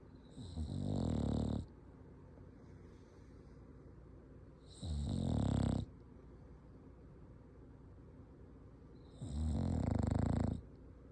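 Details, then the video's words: Dog snoring: three deep, rumbling snores spaced about four seconds apart, each lasting roughly a second, with quiet breathing between them. "Dog snoring"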